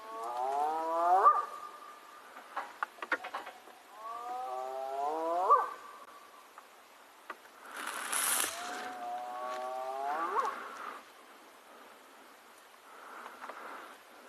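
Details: A spotted hyena (Crocuta crocuta), very close on a sunset safari on 10 April 2022 near a den area, gives rising, hollow whoops every few seconds, calling to locate clan members.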